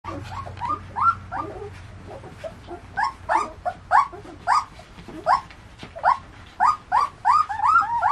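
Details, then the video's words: German shepherd puppies, fifteen days old, of the ATS line, calling in a rapid series of high whining squeaks and short yelps, arched and rising notes repeated several times a second, louder and denser in the second half, with a low steady hum beneath. "German Shepherd Puppies 15 days old!"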